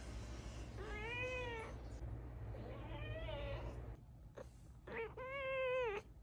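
A Siamese cat gives three long, drawn-out meows, each rising then falling in a wavering, nasal tone.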